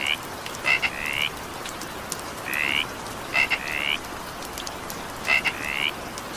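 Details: Evening rain with a frog calling: paired clicky notes leading into a longer rising buzzy trill, the pattern returning about every one and a half to two seconds against continuous soft rain noise.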